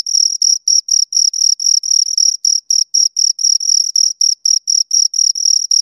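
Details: Crickets, two of them, sounding crisp high-pitched chirps in quick succession, about four each second, each pulse clipped and bright, in clean isolation without background noise.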